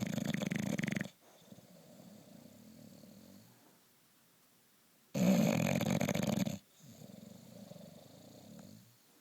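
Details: Loud snoring from a sleeping bulldog, harsh rattling inhalations about five seconds apart, each followed by a softer, longer rumbling exhale and a brief quiet pause.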